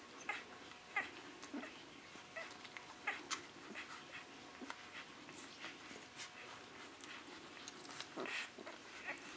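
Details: Six-day-old Great Dane puppies of the Lord and Holly litter give thin, high squeaks and soft mewling whimpers in quick, irregular bursts, several overlapping, over a faint steady hum.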